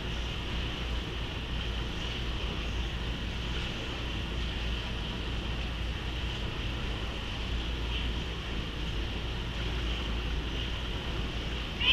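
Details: A steady engine-like rumble fills the recording, with a constant high band of hiss and no voices or animal calls.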